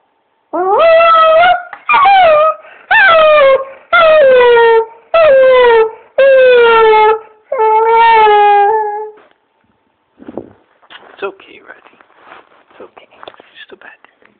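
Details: A male English Springer Spaniel having a nightmare howls himself awake with a series of loud, wavering howls, each falling in pitch and about a second long.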